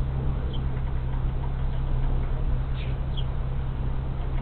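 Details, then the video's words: Honey bee swarm moving into an empty hive on March 24, 2023, after one colony failed over winter: a steady low droning hum with a few faint high chirps of birds in the background. "Honey Bee Swarm Moving In"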